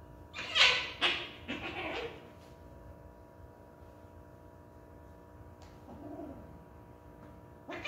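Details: Pet cat making a quick burst of several short, harsh meows in a row, then near silence, followed by a faint softer meow and the start of another call.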